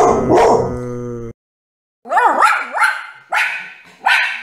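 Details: Dog from a funny dogs-and-puppies compilation gives a long, tonal, whining note, falls silent briefly, then lets out a run of sharp, rising-and-falling yelping barks in quick succession.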